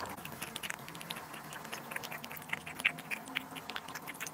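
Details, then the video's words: Close, quiet munching as a cat eats duck liver and sterilized egg, dense small clicks and squelchy mouth noises, a slightly louder bite about three seconds in. "cat eating duck liver & sterilized egg"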